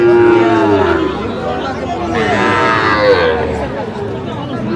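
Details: At a Faridpur market in Bangladesh, where Sahiwal bull calves are sold on 17 August, one long, steady low moo opens, then a brief wavering call follows, amid loud crowd chatter and voices.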